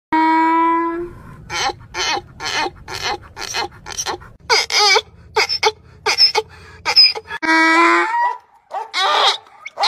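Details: A donkey, which brays day and night, gives a long tonal wail, then rapid rasping see-saw gasps, then another drawn-out wail.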